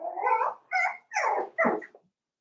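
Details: Five-week-old Cavalier King Charles Spaniel puppies in Daisy's puppy pen, indoors. Four short harmonic whining yelps, each under half a second, with brief silent gaps between them.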